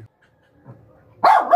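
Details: Small female dog during ferocity training, with quiet background rustling and a low thump, then a sudden harsh, loud bark at the very end.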